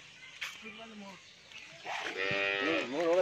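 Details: Pregnant Friesian cow, nine months in calf and due with her first calf, on a dairy farm in Bhangura, Pabna, Bangladesh; a soft low moo, then a louder, richly harmonic moo that rises and falls at the end.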